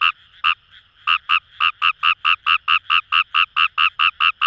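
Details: Paddy-field Fejervarya kawamurai from Itoshima, Fukuoka Prefecture, Japan, near the Kamo River; a few spaced croaks, then a fast, even run of short nasal pulses about four per second, with quiet frogs calling behind.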